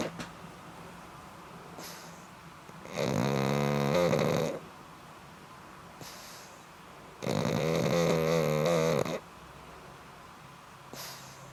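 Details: A black pug asleep and snoring, two loud rasping, buzzy snores each about one and a half seconds long, separated by quiet breathing gaps of roughly three seconds.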